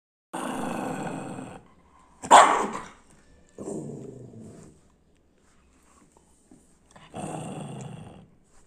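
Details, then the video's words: A Lhasa Apso in an angry mood gives three drawn-out, rough, rumbling growls of about a second each. A single sharp bark sounds between the first and second growls, with quiet gaps around them. "Lhasa Apso / In an angry mood."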